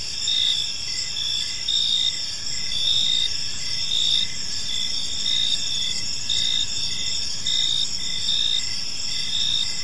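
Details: Gentle chirping of crickets at evening in a tranquil park, several high bright trilling voices overlapping in a steady chorus with regular louder pulses and some low-frequency background noise.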